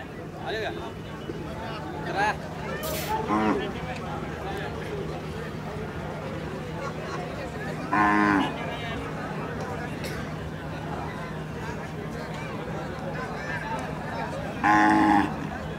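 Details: Kajali Khillar cattle shown in a paired group at the 2024 Pusegaon cattle exhibition in Satara district, lowing in loud, harmonic moos around 3, 8 and 15 seconds over a steady hum, background music and loudspeaker announcements.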